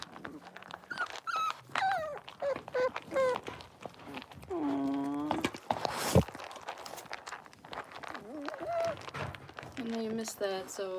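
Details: Six-week-old blenheim Cavalier King Charles Spaniel puppies, a litter of five in a home puppy pen, give high, rising and falling whimpers and short yelps, with one longer drawn-out whine midway, over people talking.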